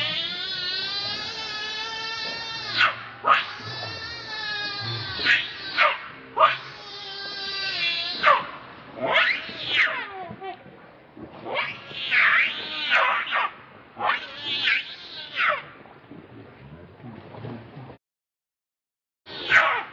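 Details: Monkey, one of several captive monkeys, very angry while protecting another monkey from a third; harmonic screeching screams with rising and falling arches, repeated in bursts, with a short silent gap near the end.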